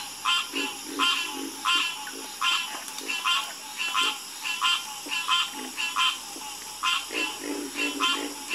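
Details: A night chorus of frogs gives short, raspy, pulsed croaks about every two-thirds of a second at a quick, even pace, with lower, softer notes from other callers weaving underneath.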